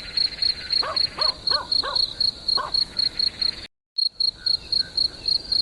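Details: High-pitched cricket chirps pulse about four times a second. A dog barks in a quick series in the background, and the recording briefly cuts out before the chirping resumes.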